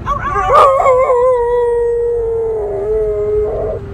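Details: Pit bull in an RV howling on her birthday, starting with a short yip before settling into a long, steady, slowly falling howl over a low rumbling background.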